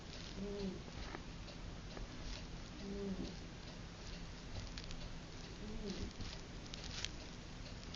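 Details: Puppy asleep and snoring, with three quiet, low, droning snores spaced roughly every two and a half to three seconds amid soft indoor hiss and light patter.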